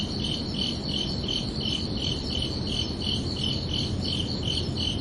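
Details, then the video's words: Crickets chirping at night in summer, giving short high trilled chirps about three times a second in an even rhythm, backed by a steady low background rumble. "Calming Cricket Sounds for Relaxation"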